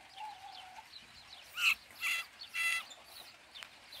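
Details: A brown rat caught in a cage as a chicken-coop predator gives three sharp, shrill squeaks in quick succession, each a harsh, rasping burst.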